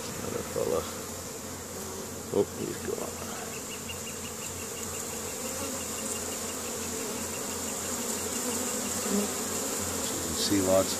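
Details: Spring foraging honey bees crowding a hive entrance in Caribou, Nova Scotia, Canada, 10 May 2015, carrying pollen in; a dense, rich buzzing hum swells and fades as individual bees pass close, with a few soft knocks.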